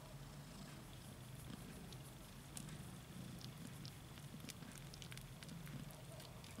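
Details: Nursing kittens jostle for their mom's milk, a continuous low rumbling purr pulsing underneath, with soft clicks and rustles from the litter scattered over the top.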